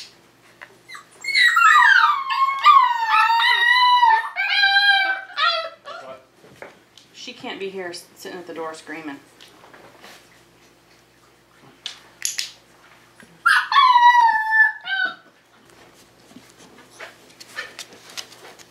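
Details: Tamaskan Dog puppies, five weeks old, whine during a Puppy Culture box game session in a small room: long, tonal cries falling in pitch in two main bursts, mixed with a woman talking.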